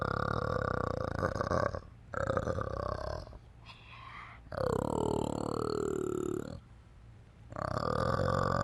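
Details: Orangutan giving long, deep, burping grunts in two- to three-second bursts separated by brief pauses, with rich harmonics and a gurgling, bubbling texture.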